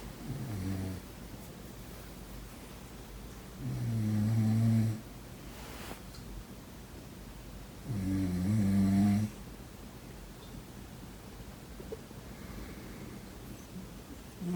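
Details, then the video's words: Sleeping domestic cat snoring: deep, buzzy rumbles, each about a second long, repeating roughly every four seconds with quiet breathing between, in a still indoor setting. "인간과 고양이의 코골이 대전 //코고는 고양이 소리"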